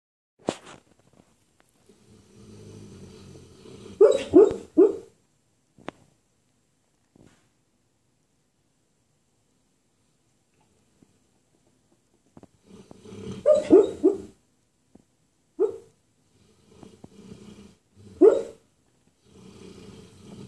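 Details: Roscoe, a pet dog taking his morning nap and dreaming, gives muffled, choppy woofs in his sleep in bursts near 4, 14 and 18 seconds, between soft, low rumbling snores and quiet grumbles.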